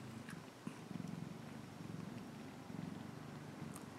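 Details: Pet cat giving a continuous low purr, its rhythmic rumble rising and falling about once a second, with light rustling in the background.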